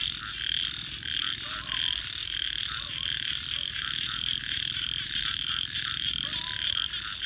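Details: Frog chorus by night: unbroken shrill trilling from many callers alongside a crackling fire, with a few brief lower chirps rising over the din.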